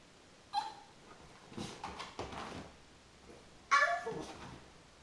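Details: Mogge, a 15-week-old Chinese Crested dog puppy, excited indoors after a bath; a thin high yip, then noisy scuffling bursts and a loud squealing yelp near the end.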